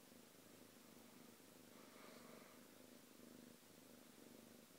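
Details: Cat purring calmly beside another pet it gets along with; a brief stretch of faint, even low rumbling with one gentle breathy swell in the middle.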